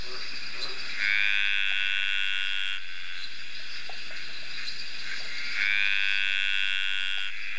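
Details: Male dainty green treefrogs (Litoria gracilenta) give long, buzzy, drawn-out courtship calls rising slightly at the start, to attract females on a rainy summer night at Ocean Shores near Byron Bay, Australia.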